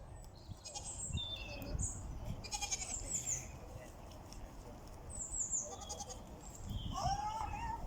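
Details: Pygmy goats at Greenacres Animal Park, a mother with her two babies, bleat in short, wavering calls, with high thin cries from the young kids.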